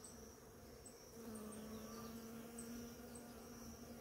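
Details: Bees visit a flowering ora-pro-nobis in the morning. After one second, a single close bee adds a louder, steady droning buzz over the softer hum of the swarm. Faint high chirps sound now and then.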